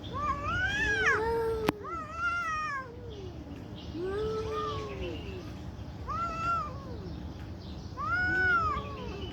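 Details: Angry cats fighting loudly: long drawn-out yowls arch up and down in pitch, one after another every second or two, with rich overtones and a single sharp click partway through.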